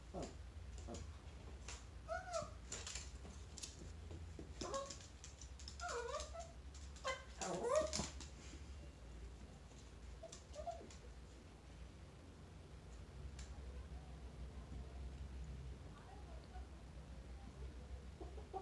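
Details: A Chihuahua meeting a chinchilla gives a cluster of short, falling, whiny yelps over the first eight seconds, then only a few faint whimpers over a steady low hum.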